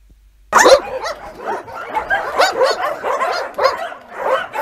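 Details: Many homeless dogs among some 2,000 animals bark together after a brief silence, a dense overlapping chorus of sharp yaps and barks that continues without pause.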